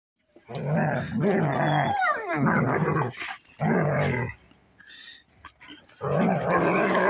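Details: Two German Shepherds, one a nine-month-old puppy, play fighting, loud rough growls and snarls in long bursts of about a second, with a sliding whine-like note between bouts and short quiet gaps.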